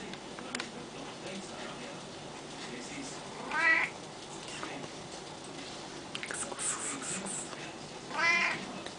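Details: Zimba, a pet cat, in a kitchen around water: two clear rising-then-falling meows about four and a half seconds apart, with clattering and rustling household noises between them.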